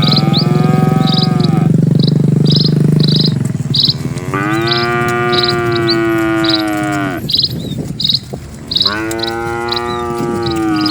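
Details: Dozens of cattle crossing a calm rural village road; long, loud, deep lowing calls, each held for several seconds with a slight rise and fall. Repeated high bird chirps sound in the background.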